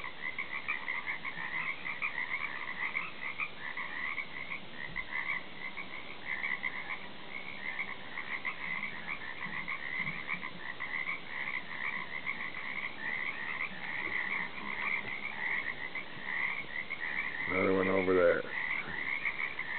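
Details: Frogs croaking, recorded off a back deck: a dense, unbroken chorus of rapid pulsed trills in two overlapping pitch layers, with a short, low, buzzy harmonic call breaking in near the end.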